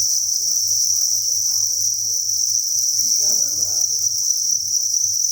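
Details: Crickets by the thousands inside a breeding facility on a cricket farm, making a steady shrill chirping wall of sound, with a low background hum and a brief faint rustle midway.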